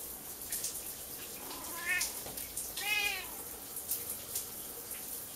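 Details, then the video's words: Kiki, a female Siamese cat, meows loudly in a bathroom before her owner's shower, being petted while the shower runs; two drawn-out, rising-then-falling harmonic meows about a second apart over steady hissing water noise. "Siamese cat meowing before I take a shower"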